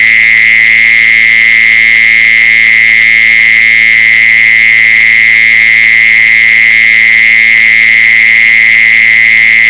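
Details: Mole cricket sound used to lure mole crickets: one loud, unbroken buzzing trill held at a steady high pitch with no pauses, bright overtones above it and faint low hums beneath.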